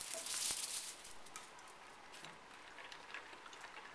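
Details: Soft crunching and pattering clicks fill a small room, with no barks or other animal calls.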